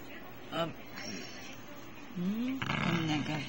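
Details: A male Basenji gives short, rising, yodel-like whines of protest as his owner tries to pick a flea off his body, with a person talking nearby.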